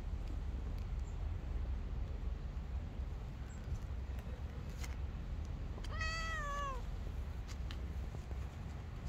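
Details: A kitten, one of two playful street kittens clambering over a lap, lets out one clear, strong meow that bends downward at its end, after several seconds of low continuous rumble and scattered light knocks.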